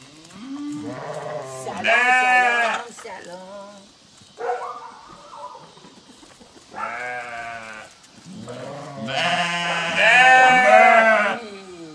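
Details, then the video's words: Sheep bleating in response to a farmer calling the flock; several voices give drawn-out, shaky bleats in separate bursts, some harsh and high, others lower, with quieter gaps between them. "Farmer Calling His Sheep"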